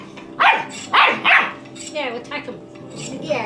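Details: Puppy going mad at a toy, egged on to attack it: three loud, sharp barks in quick succession, then softer whining, yelping notes with wavering pitch, mixed with a man's speech.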